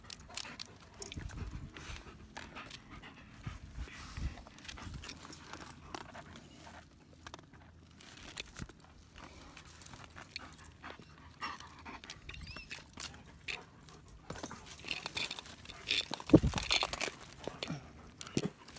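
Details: German Shepherd Dogs Bombur and Thorin hiking the trails of Mineral Wells State Park; steady breathy panting at roughly two to three breaths per second, mixed with crunching footsteps on the trail and brief rustling.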